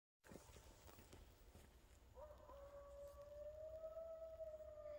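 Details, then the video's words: Coyotes howling in the back woods: after a quiet start with faint crackling, one long smooth howl sets in and holds for about three seconds, slowly rising in pitch with a fainter overtone above, over a low steady rumble. "Scary Coyotes howling in the back woods!"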